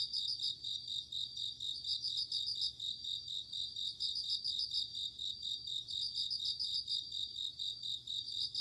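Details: Chorus of night insects in autumn, including bell crickets and crickets: steady high-pitched ringing with bursts of fast pulsed chirps recurring every one to two seconds.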